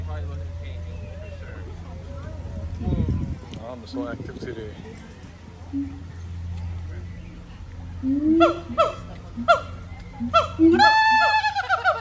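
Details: Siamang gibbons calling at the Honolulu Zoo, Oahu, Hawaii, September 15, 2022. After several seconds of people talking, a rising sequence of loud whoops and barks builds quickly toward an excited, rapid climax.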